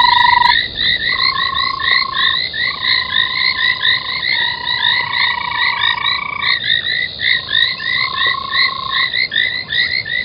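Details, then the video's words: Nighttime frog chorus at 03:40, 25 January 2021, around an old foam nest at Gowrie dam waterhole in Djuma Game Reserve, Sabi Sand, South Africa; thick layer of quick upturned chirping croaks over several long steady humming tones, continuous throughout. "Frogs at old panmaking foamnest"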